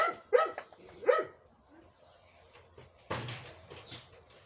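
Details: Dog giving a few short, quick barks in the first second, followed by quiet and then a burst of rustling noise.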